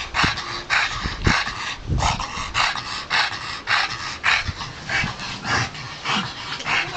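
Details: Bulldog playing excitedly with a barrel, giving rough, noisy vocal bursts in a steady run of about two per second, each short and harsh, with brief quieter gaps between them and no other clear sounds.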